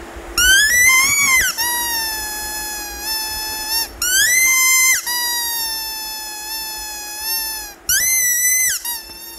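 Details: Leo, a Rhodesian Ridgeback puppy in India, whining in anger at being denied his squeaky toy: long, high, steady whines with sliding starts, several in a row separated by short breaks, indoors.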